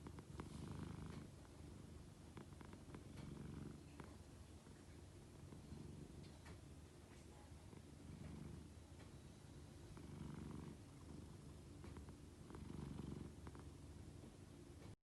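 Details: A sleeping pet cat snoring, a steady low rumbling drone that swells and fades in slow breaths throughout, with faint background hiss.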